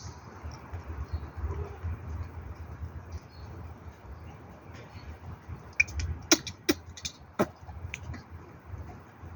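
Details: Leo, a street cat and one of Banban's five kittens, recorded on 8 June 2024, lets out a quick run of sharp, explosive sneezes in the last seconds after a quiet, rustling lead-in.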